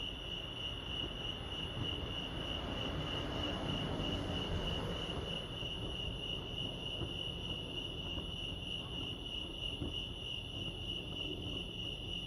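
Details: Steady high trill of crickets chirping at Lake Arrowhead, California, continuing under a swell of broad rushing noise in the middle of the recording and a low rumble.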